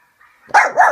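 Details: A female pet dog barks while watching videos of other puppies and dogs on a laptop. After a faint murmur, a short bark sounds in two quick pulses, the second rising and then falling.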